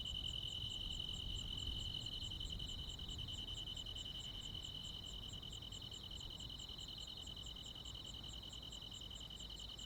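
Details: High, evenly pulsed cricket chirping, roughly three to four pulses per second, on a summer night in the countryside, layered over a continuous shrill insect buzz and a soft low rumble.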